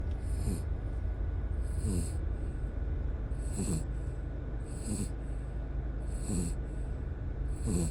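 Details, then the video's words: Howl, a ten-year-old dog and camping companion of nine years, snores asleep in the car on the way home after a three-night, four-day camping trip; a raspy low snore with a whistling hiss on each breath, roughly every 1.5 seconds. "개피곤 3박4일 캠핑 후 코고는 강아지 | 댕댕이 코골이"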